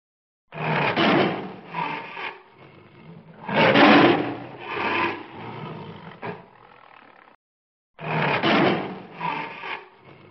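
A tiger gives harsh, rasping roars in repeated bursts, each lasting a second or two.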